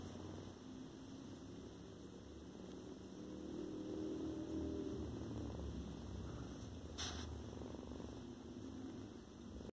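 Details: Foster kitten purring, a soft, steady low rumble that continues throughout, swelling slightly in the middle, with a faint brief click near the end.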